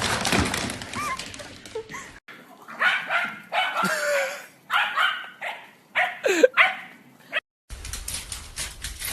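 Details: Puppy from a compilation of funny golden retriever, husky and pomeranian puppies: a series of short sharp barks and yips in bursts, one whining rising squeal, with clip cuts between segments.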